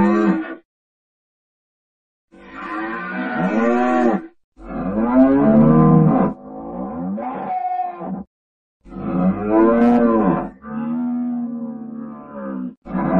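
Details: Cattle lowing in several separate bursts of one to two seconds with short silences between, each a low harmonic moo that bends down at the end, some overlapping like more than one animal.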